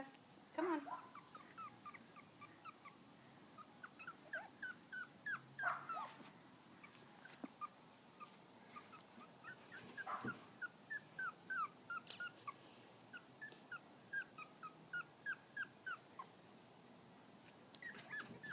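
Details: Poodle-shih tzu mix puppies, five weeks old, out on grass for their first time, keep up a rapid chorus of thin, high, wavering whimpers and yelps, several each second. There is some low rustling and a few louder bursts.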